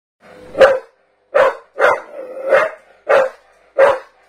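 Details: Staffordshire bull terrier barking at a canister: six loud, sharp barks at irregular spacing over about four seconds, with short silent gaps between them and no other sounds.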